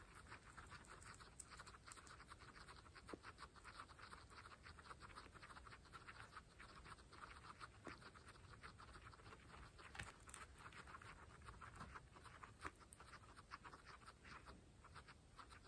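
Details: Guinea pigs, pregnant females, munching fresh grass, recorded closely for ASMR; rapid overlapping crunchy bites and tearing clicks fill the whole stretch, with a few louder snaps standing out.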